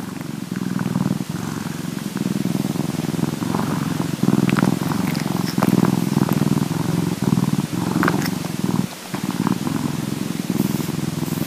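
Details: Bombay cat purring while cleaning itself, a field recording; steady low rumbling purr with rhythmic pulses, brief breaks near four and nine seconds, and faint licking clicks above.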